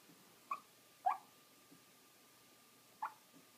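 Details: Morkie puppy with the hiccups: short, sharp squeaky hics, three clear ones spaced irregularly about half a second to two seconds apart, with faint softer catches between, in a quiet indoor room.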